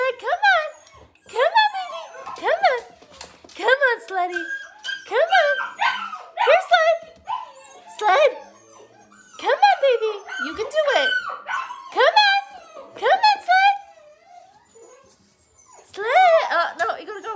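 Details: Seven Gerberian Shepsky puppies getting used to a new tunnel indoors, giving many short high whines and whimpers, each with rising and falling pitch, in quick bursts with brief pauses. A woman coaxes and praises them throughout in an encouraging voice.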